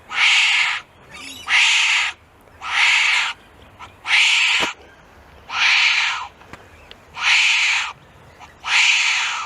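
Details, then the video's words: Wombat producing steady, regular rasping huffs, seven strong breathy bursts spaced about one and a half seconds apart, each lasting under a second. "Real Wombat Sounds"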